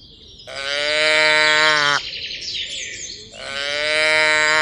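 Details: Tame cattle herd walking along a mining road toward a green village: two long, steady, richly harmonic moos, each about one and a half seconds, with a short gap between them. Small birds chirp and twitter high in the background.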